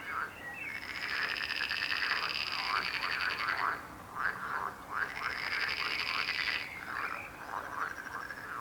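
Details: Frog chorus with dense, rapid rattling croaks building into long buzzing runs, a short drop near the middle and scattered individual croaks toward the end.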